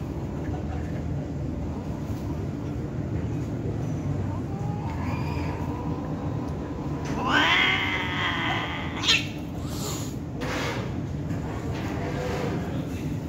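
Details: An Angora cat during mating with a mixed-breed cat gives a drawn-out, wavering yowl that swells and then breaks off, over a steady low rumble.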